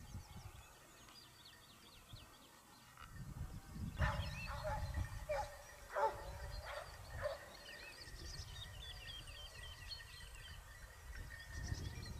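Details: Basset Hound pack of Topsfield Lebrera hunting in Spain during their second hunting season, 2015-16: a few harmonic bays cluster in the middle, set against steady low wind rumble and faint high bird chirps.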